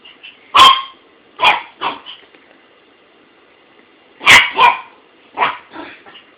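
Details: A dog named Buddy barking at his toy, recorded on an Android phone: sharp, loud barks in clusters, a pair near the start and a tight burst of three or four later, with quiet gaps between.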